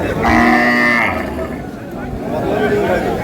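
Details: Cows for sale at Aftabganj cattle market, 9 May: one short, tonal moo lasting under a second, with rich overtones, followed by a quieter stretch with market noise and talking.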